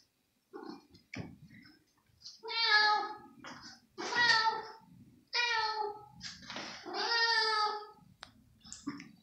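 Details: Very hungry female kitten indoors in the evening, leaping to reach cut chicken pieces; a run of about six loud, rich meows, some drawn out and wavering, irregularly spaced, with soft clicks and rustles of movement between.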